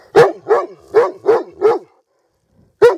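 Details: Dog barking, five quick even barks in a row, a pause, then one more bark; clear and close with no other sounds.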